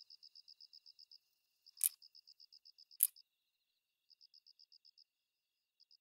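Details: Hexacentrus japonicus katydid (Hexacentrus japonicus), idling call.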